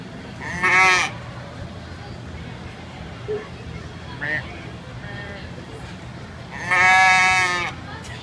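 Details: A goat bleats as someone talks to it: two loud, wavering, nasal bleats, a short one early and a longer, quavering one near the end, with faint quieter sounds in the background between them.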